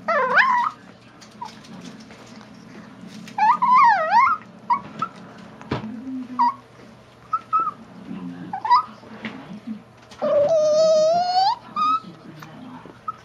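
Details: Chihuahua chewing a bone while teased, with soft rustling and chewing noises. It gives scattered high, dolphin-like squeaks, then ends with one long, quavering whine.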